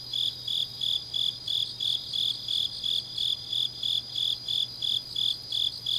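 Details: High-pitched chirping of grass insects at night in deep autumn, Changnyeong, Gyeongnam, South Korea; evenly spaced pulses roughly three per second, a softer shimmering trill layered above, and a faint low hum throughout.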